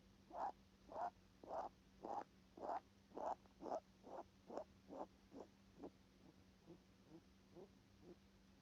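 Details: Rabbit breathing through its nose: soft, short puffing bursts repeated a little under twice per second, strong and regular at first, then fainter and more ragged toward the end, over a steady low electrical hum.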